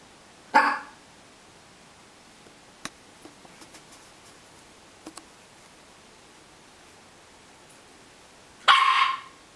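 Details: Pet dog barking indoors at her processed food, as if trying to scare it to death before eating; two short sharp single barks about eight seconds apart, with faint clicks and taps between.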